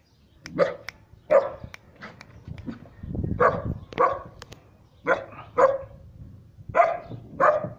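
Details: Three-month-old Siberian Husky puppy barking at someone it does not know; short sharp barks in irregular bursts, with a man's voice calling the pup between them.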